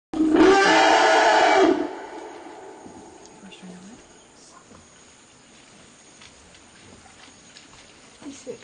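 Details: Vicky 4, an eight-year-old African elephant, screams in protest at having to stop sharing ground minerals with her 48-year-old mother Vicky 1, a third elephant nearby. One loud, harsh, harmonic scream lasts under two seconds, then faint quiet rustling.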